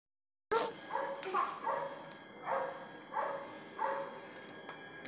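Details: Dogs barking, several short broadband barks repeated roughly every 0.7 seconds after a brief silence, with moderate background noise.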